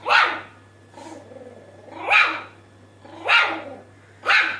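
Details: A Shih Tzu puppy gives short, high, breathy yips about once a second, described as an adorable laugh.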